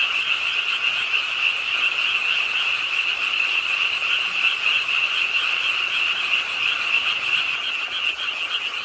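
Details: Rainy-night frog chorus from the pond edge of Ingye Art Park in Suwon, South Korea: many overlapping croaks forming a continuous buzzy drone, pitched fairly high, with quick irregular pulses.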